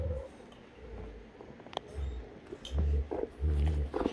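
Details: Great Danes Heartbreaker and Rhapsody at Sunday morning playtime: deep rumbling growls, a short one then two longer, louder bursts in the second half, with scuffling thumps between.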